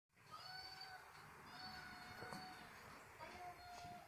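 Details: Domestic cat searching under a blanket for a phone playing a recorded kitten voice; three drawn-out, tonal, harmonic meows, each lasting under a second, separated by short pauses, with faint rustling between them.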